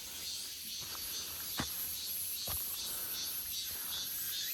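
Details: Cicada chorus in an August forest: an even, high-pitched whirring drone with a gently pulsing upper shimmer, broken by two short sharp knocks.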